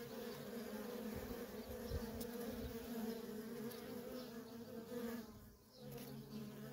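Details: Constant hum of worker honey bees at a feral colony, a thick low drone with a brief dip and rise in loudness near the end as bees move past.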